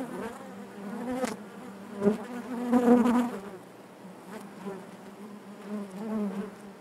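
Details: Honey bees humming inside their hive, a dense steady drone centred low with stacked harmonics, swelling louder around the second and third seconds before easing back to a softer continuous buzz.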